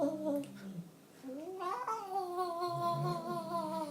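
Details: Cat indoors in a small room, giving drawn-out, tonal meows that dip and then rise into a long, sustained, wavering note held for over two seconds.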